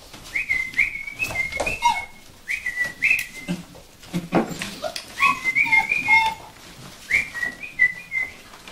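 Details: Several Vizsla puppies (Sejla) squeal and whine together indoors, high thin notes overlapping with lower, softer whimpers, in quick uneven bursts separated by short gaps, with light knocks and rustling behind.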